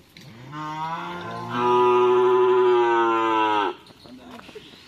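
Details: Long bellowing moo from cattle at Madura's karapan sapi racing training on the Asemanis field, Menjep. It begins low, swells louder midway and holds steady for about three seconds before cutting off, with faint voices behind.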